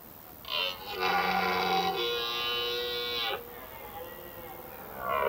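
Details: Rutting red deer in autumn, stags roaring through forests at evening to court females and repel other males; one long rasping, harmonic roar of about two seconds ending abruptly, with another call starting at the close.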